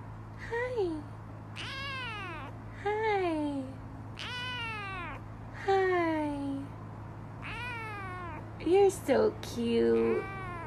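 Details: Cats in a funny compilation, meowing repeatedly indoors: a series of loud, falling, harmonic-rich meows roughly every one to two seconds, ending with sharper chirping cries, over a steady low hum with faint speech.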